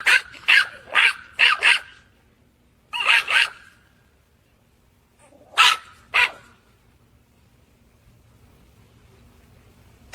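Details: Small dog barking close to a person's ear: a rapid run of five sharp high yapping barks, a double bark after a pause, then two more later, with quiet gaps between.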